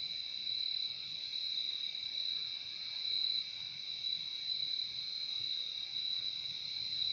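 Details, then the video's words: Continuous shrill cricket chorus, a sustained high ringing trill with a second slightly lower tone beneath it, even in loudness throughout, against quiet background hiss. "Relaxing sound of crickets"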